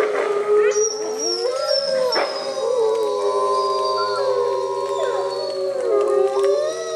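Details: A gray wolf pack at Bays Mountain Park howls in the rain after a person starts the howl and one female wolf answers first: several long sliding voices overlapping in a wavering chorus for over two minutes.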